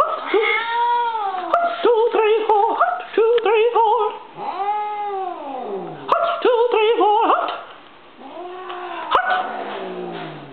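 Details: Stinky, a female house cat, yowls in protest at military cadence chanting she dislikes: long, drawn-out arching wails rising and falling, three in a row, between bursts of rhythmic shouted chanting indoors.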